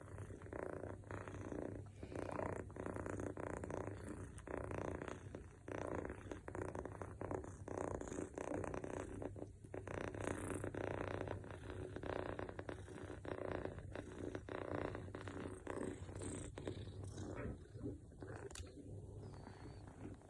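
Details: Mofy, a male longhaired Scottish Fold kitten born 21 July 2021, snoring while asleep: a soft, steady low rumble with faint rhythmic pulsing and a few small clicks, otherwise quiet.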